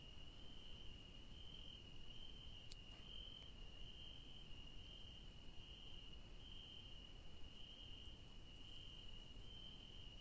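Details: Night-time crickets in a garden with yellow daisies, giving a continuous shrill high trill that swells gently in loudness every second or so over soft low rumble.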